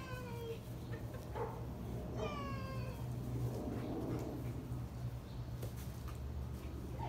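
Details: Two black Labrador Retrievers, aged nearly two and eight, on bath day indoors: high whines sliding downward, one at the start and another about two seconds in, over a steady low electrical hum and running-water noise.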